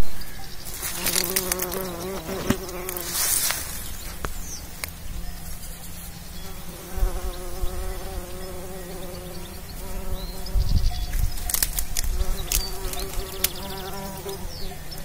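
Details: Bumblebee buzzing while pollinating. A droning hum with stacked harmonics that shift up and down in pitch as the insect moves, plus scattered clicks and rustles.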